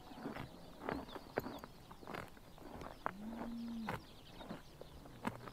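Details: Horses grazing in Mongolian summer morning sunshine, tearing grass with sharp crunchy bites at uneven intervals, a sustained low hum-like tone for nearly a second, and faint high chirps of small birds.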